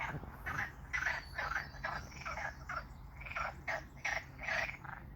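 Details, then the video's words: Frogs making strange noises near water: short raspy croaks about two per second, uneven in timing, with a grating ratchet-like texture over a faint low hum. "Strange Frog Noises"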